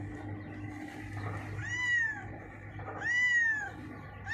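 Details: Domestic cat, blind in the left eye, that runs to hide under a mixer truck when called; two clear arched meows, rising then falling, about a second apart, over low mechanical hum.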